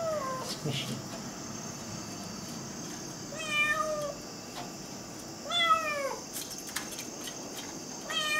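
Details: A domestic cat trying to get in at night gives three clear, drawn-out meows, each curving up then down, spaced about two seconds apart over a steady background hum.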